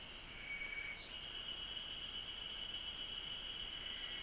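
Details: Cicadas in Japanese nature drone in a steady, high shimmering buzz that holds without a break.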